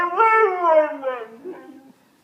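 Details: Wrigley the pet dog howling: a short harmonic-rich wail that starts high, slides downward in pitch over about two seconds, and trails off into a fainter, wavering tail before falling silent.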